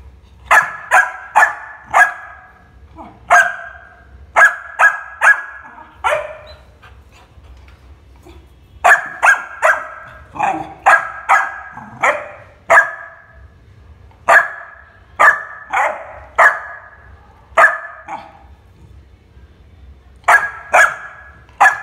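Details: Labrador Retriever puppy of American standard show type, barking with attitude: sharp, bright barks in quick bursts of two to four, pausing briefly near the middle and again later, steady and clean with no other sounds.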